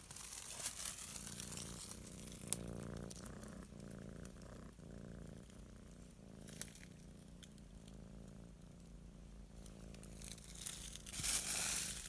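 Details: Kitty purring while sunbathing, a low steady rumbling throb running through the clip, overlaid by crinkling and crackling handling noises and a brief louder rustle near the end.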